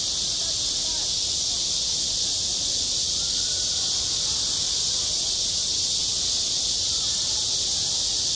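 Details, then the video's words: A continuous high-pitched buzzing wall of cicada song over a school playground in midsummer, even in loudness throughout, with no other clear sounds. "한 여름 운동장에서 매미가 울고 있다 - 여름의 소리, 학교 종소리, 매미 울음소리"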